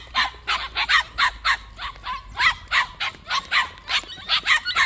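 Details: High, honking yelps from white puppies kept at a plum orchard, repeated rapidly and unevenly, each call short and bright.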